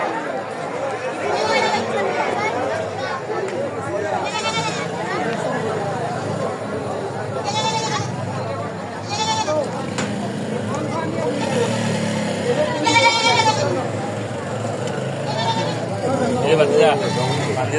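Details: Goats at a crowded, muddy goat market, Kuti Chowmuhani Bazar, 1 May 2025: quavering bleats rise above the crowd about six times, each brief and wavering, over steady human chatter and voices.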